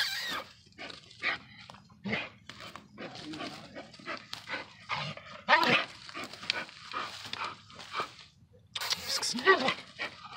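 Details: A working Bull Terrier facing a raccoon barks in short, harsh bursts at an uneven pace, some close together and some spaced apart, with a person's voice running through the background.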